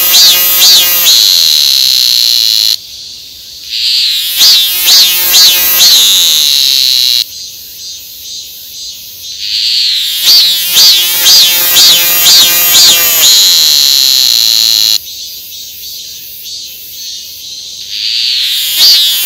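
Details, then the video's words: Calling cicada producing an intense high-pitched drone, with bursts of fast throbbing pulses in phrases recurring roughly every six to seven seconds, separated by short quieter gaps. "매미가 우는소리"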